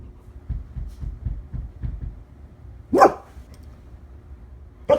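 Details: Lola, a one-year-old female Labrador Retriever, gives a loud broad bark at about three seconds and another at the very end, between softer rhythmic panting-like huffs early on; a person's voice asks who is it.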